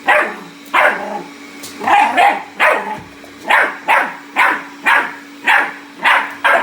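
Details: A Bull Terrier puppy attacking a robot vacuum cleaner gives short, bright, yappy barks at a brisk steady rate of about one per second, over a low, steady mechanical hum.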